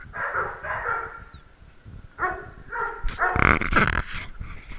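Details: Little dogs competing for camera time give a few harmonic yips and barks, then a louder, noisier flurry of barking near the end.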